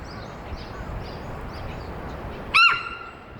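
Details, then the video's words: Female Hokkaido sika deer Amanda, aged 15, at Sapporo Maruyama Zoo, alarmed by something on 20 April 2026: after a quiet stretch, one abrupt, piercing squeal with a brief rise then level tone. "エゾシカが突然警戒！周囲に響いた謎の鳴き声〜The Hokkaido deer is making a warning noise"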